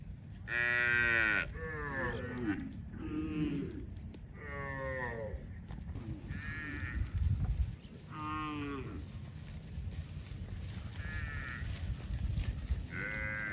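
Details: On a rainy evening, cows in a herd walking home to the barn with their calves give a series of deep, drawn-out moos, one calling to the others, over a steady hiss of drizzle.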